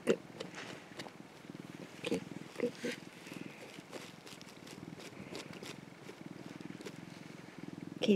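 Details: Sun-bathing orange tabby tomcat, an affectionate rescued pet, purring softly and continuously while a person talks and laughs over it; low pulsing rumble underneath, with clicks and handling noises.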